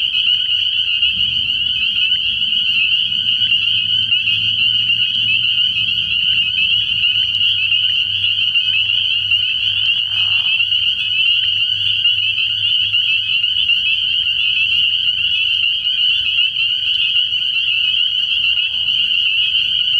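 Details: Nighttime chorus of many spring peepers at an early-year frog pond, their high piping peeps merging into one steady ringing band, with a soft low drone throughout and a short deeper croak near ten seconds.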